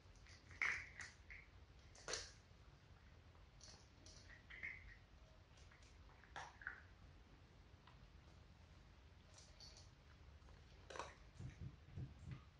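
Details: Four domestic cats, two adult sisters and two kittens, eating dry cat food indoors: scattered sharp crunches and clicks of kibble being chewed, with quiet pauses between bites.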